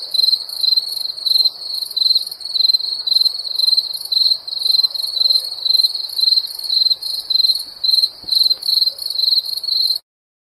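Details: Crickets chirping at night in summer: high, shrill trilled chirps in short pulsed bursts, about two per second, steady and unbroken throughout, with a faint, softer hum underneath and no other animals or voices.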